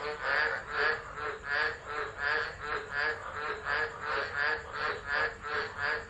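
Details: Chorus of tropical frogs in a Tropical Low storm, Driver, Northern Territory, Australia, December 2013, recorded on a phone set down unattended; rhythmic rasping croaks rise and fall steadily, about 83 per minute, in overlapping waves.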